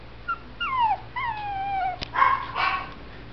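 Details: Male Shih Tzu puppy, born November 2011, at a kennel: two drawn-out, falling whimpers, a sharp click, then two quick, rough yips close together.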